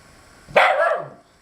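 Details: Pet dog, described as a fierce guard dog, telling off squirrels in its tree: a single harsh, rough burst lasting about half a second that drops in pitch at the end, with a person's voice encouraging it.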